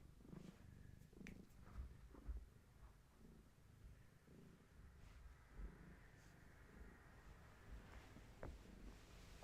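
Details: Gaia, a pregnant long-haired tabby cat, content while being held during a bellywatch with active kittens; steady low purr in soft rhythmic pulses, with faint rustling of handling.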